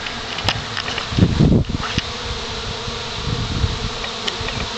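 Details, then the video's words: Swarm of honey bees settling on a pine branch, giving a continuous low droning buzz that swells briefly in the middle, with faint clicks and rustling. "Swarm Settling on Pine Branch"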